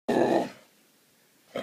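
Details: Seven-month-old Hungarian Vizsla making funny noises: one short, harsh grunting growl lasting under half a second, then quiet, with a faint brief second noise at the end.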